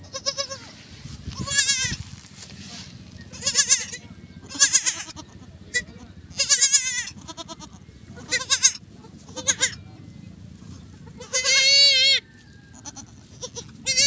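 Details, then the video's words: Goat during the birth of kids on a farm; loud, wavering, vibrato bleats with rich harmonics, each roughly half a second to a second long, repeated irregularly over fourteen seconds, with a faint low hum beneath. "Actual video ng pag anak ng kambing!!!"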